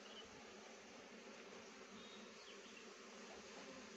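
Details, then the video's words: Steady, even droning of honey bees working rhododendron flowers for nectar, a dense continuous hum with no breaks and no other clear sounds. "मौरी bee honey गुराँसको फूलको रस बाट मौरीले मह बनाउँछ"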